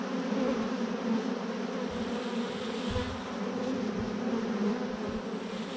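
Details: Swarm of thousands of honey bees clumped on a branch, giving a constant deep drone with bright individual wingbeat tones flickering above the hum, faint low thumps in the background.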